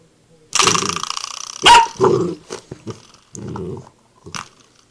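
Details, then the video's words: Bull terrier puppy playing with a door knocker, giving a long, rough growl followed by a sharp metallic knock, more short growls and another knock. "Bull terrier puppy"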